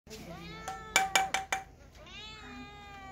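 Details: Cats and kittens meowing: a drawn-out harmonic meow, then three sharp clicks or knocks near the middle, followed by a second long, gently falling meow.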